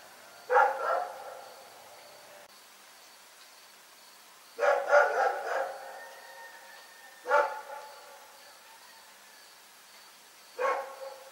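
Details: Night barking from Rex, a dog: four separate bouts of rough barks spaced a few seconds apart, some bouts doubled or tripled, with a faint steady tone between them.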